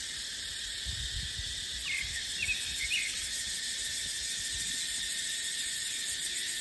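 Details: Cicadas in a dry dipterocarp forest in the dry season, a dense, steady high hiss with faint shimmering pulses, overlaid by a few brief, soft bird chirps midway and low rumbling gusts of wind.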